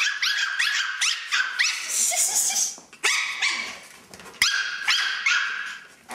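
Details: Two male Chihuahuas, one a puppy, playing together in a new playpen tent: rapid, high-pitched yips and squeaky barks in quick bursts, several per second.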